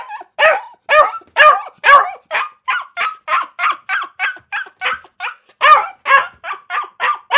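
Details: Dog barking in a fast, uneven run of about twenty sharp barks over seven seconds, some louder and deeper, others shorter and clipped, with no other sounds.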